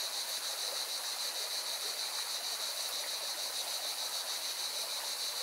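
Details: Cicadas sing by a mountain river in Valencia, Spain, their shrill continuous drone beating in quick regular pulses, while the rushing water of the river fills the background with an even, steady roar.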